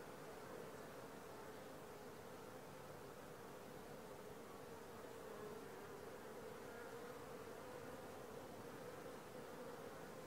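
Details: Steady hum of honey bees at a langstroth hive landing board on the fourth day after moving from a nuc, a constant dense drone without breaks.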